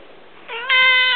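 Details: Indoor male pet cat noisily begging for prawns, giving a loud, steady, whining meow that swells and holds its pitch.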